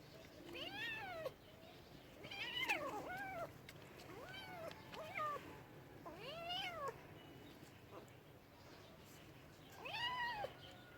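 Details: Domestic cat meowing repeatedly, five arched, rising-and-falling mews spaced about two seconds apart, some short and others drawn out, over a quiet indoor background.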